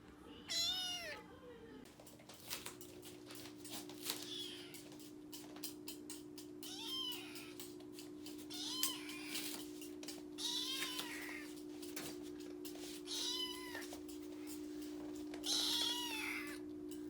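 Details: Rescued male orange tabby kitten, born in early April 2021, meowing while eating as if answering that the food is delicious. Short, high, arching meows come every one to three seconds over a steady low hum.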